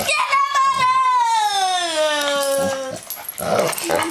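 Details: During indoor play between two pet dogs, female Black Labrador/Cocker Spaniel mix Onyx and young male miniature dachshund Nathan, one long high whine slides slowly downward over about three seconds. Brief rustling and a voice follow.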